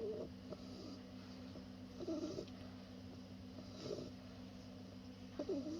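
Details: Two-month-old Bulldog puppy Senbei snoring while asleep: soft, raspy breaths repeat roughly every two seconds over a steady low electrical hum.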